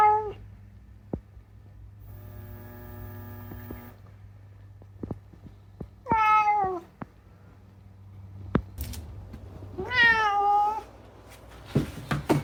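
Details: Talkative rescued house cat Unagi lets out two rich, harmonic meows, one at six seconds and a wavering, longer one near ten seconds, amid scattered clicks, knocks and a constant low indoor hum.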